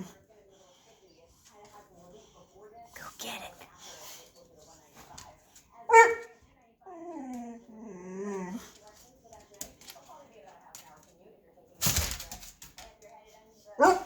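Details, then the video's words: Boxer dog, vocal and afraid to get a ball toy from under a shopping bag, gives wavering whiny moans around 7 to 8 seconds, with a sharp bark near 6 seconds, another loud burst near 12, and faint human speech. "Vocal Boxer dog afraid of toy"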